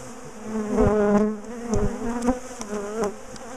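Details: Bees of a big, aggressive colony in a top bar hive, disturbed while their hive is split and moved; a continuous droning hum with wavering overtones, broken by repeated clunks and taps of hive handling.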